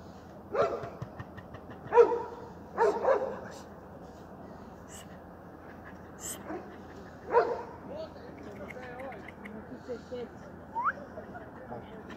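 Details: Kerry Blue Terrier giving a few scattered barks early on, then quieter whining and short high-pitched squeaky whimpers toward the end.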